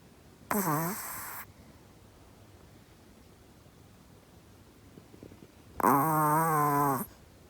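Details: Sleeping Chihuahua with human-level snoring: two rasping snores, the first short and falling, the second longer and steadier, about five seconds apart in a quiet room.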